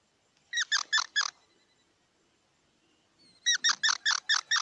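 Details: A squirrel gives two quick runs of bright, squeaky notes, first four and then six. The runs are separated by a pause of about two seconds, with near silence between them.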